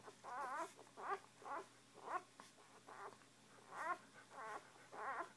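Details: Several pups of a litter mew as they feed, giving short wavering squeaks and whines in separate bursts about every half second to second, with a faint constant hum behind them.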